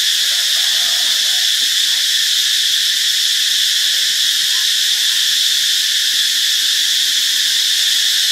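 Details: Cicadas recorded in Ubon Ratchathani, Thailand, on Friday, March 26: a dense, unbroken high buzzing drone fills the whole stretch, steady in loudness, with a few faint soft chirps underneath near the start.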